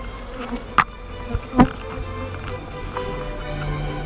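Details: Low continuous humming of honey bees clustered on a glass roof in central Toulouse, France, broken by a few sharp taps and knocks.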